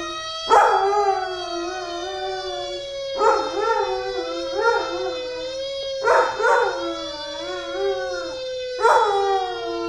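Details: A 2-year-old male Labrador-Chow mix dog howls in short, wavering bursts in response to a fire truck siren droning steadily, as he does every time he hears one.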